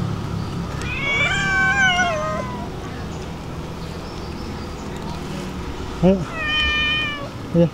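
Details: Stray cats, excited at feeding time as they reach the dining table: one long drawn-out meow that rises then falls, followed later by two short chirping meows, while a woman coaxes them in Indonesian.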